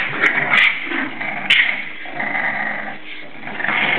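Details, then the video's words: Seven-week-old English Bulldog puppies playing indoors: steady, rasping growls and squeals overlap throughout, with a few sharp knocks and clicks from movement at around half a second and one and a half seconds. "English Bulldog puppies playing inside"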